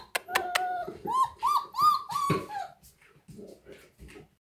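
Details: Dogs playing outdoors on a snowy day; a run of short, arching, tonal whines and yelps in quick succession, preceded by a few sharp clicks, then quieter low rustling noises.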